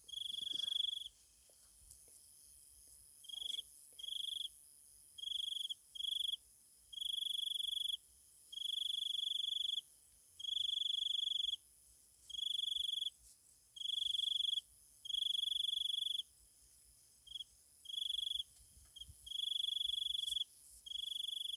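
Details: Night insect chorus in Thailand: a dominant insect gives a pure, steady high trill in bursts of about one to two seconds, separated by short gaps, over a fainter continuous higher buzzing from other insects.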